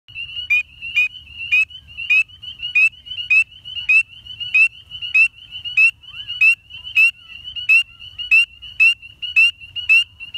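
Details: A spring peeper (Pseudacris crucifer) in Tuscaloosa, Alabama, gives high, clear peeps, each sliding upward, repeated steadily.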